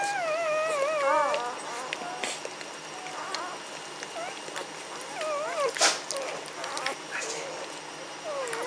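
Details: Magyar Vizsla puppies from the B litter of the Elsterhaus kennel, 14 May 2015, whining in high, wavering, wobbling tones. A long quavering whine opens, then shorter rising and falling whimpers come at irregular intervals amid soft rustling.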